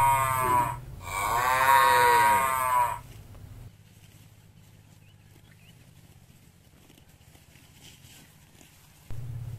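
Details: Village cow eating grass eagerly at feeding time: a short moo, then a long, full, harmonic moo lasting about two seconds, followed by quiet with a faint low hum.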